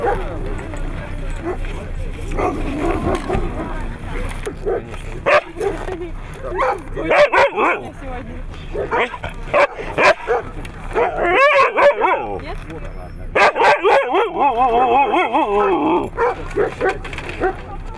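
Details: Siberian Husky at a competition in Nizhny Novgorod on 3 February 2017: a run of high, wavering yelps and whining howls in bursts, rising and falling, with people talking over it and a low mechanical hum.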